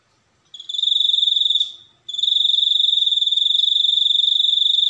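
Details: A cricket starts up after a moment of quiet, trilling in fast even pulses at a high steady pitch, fades and stops briefly, then resumes its shrill continuous trill; a faint click is heard midway.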